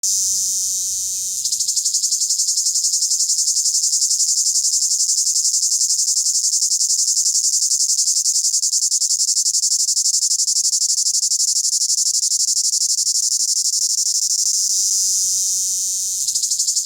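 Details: A cicada calling from a tree in the Amazon Rainforest, South America, sings a loud, steady, high-pitched buzzing drone that holds unbroken for many seconds.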